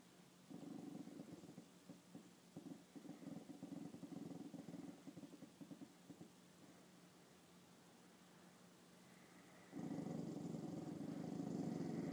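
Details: Chanel, a female dog, reacts to her reflection in a mirror for the first time with low, rumbling, pulsing growls in bursts. Quiet pauses and a steady hum come before a louder, continuous growl near the end.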